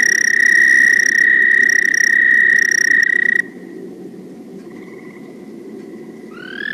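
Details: American toad (Anaxyrus americanus), presented among Rhode Island's amphibians, gives a long, steady, high musical trill that holds on one pitch for several seconds, like a singer sustaining a note; often mistaken for a cricket.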